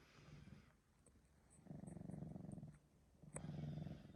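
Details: Male Sphynx kitten, three months old, purring after waking from a nap: low throbbing purr in two bursts separated by a quiet gap, each burst a rapid pulsing rumble, with a sharp click in between; phone recording indoors.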